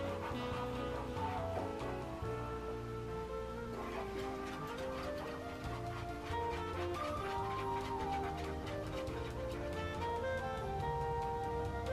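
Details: Continuous melodic background music with sustained tones and a soft pulse runs throughout, without any distinct animal call.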